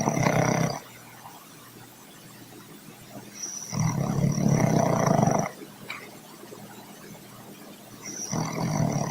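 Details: Steady snoring from Troy, a dog whose snores carry through several rooms. Rough, throaty rasps last one to two seconds and come back about every four seconds, with hushed pauses between.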